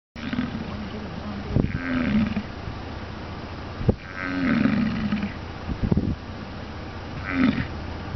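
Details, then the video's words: American bison in Wind Cave National Park in late July, a deep groaning bellow rising and falling three times over eight seconds, with outdoor background rumble. "Buffalo Calling"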